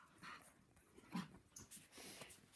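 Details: Puppy howling and barking at a loud passing helicopter, heard in short broken bursts of mixed pitch. A person speaks nearby, with a steady background rumble.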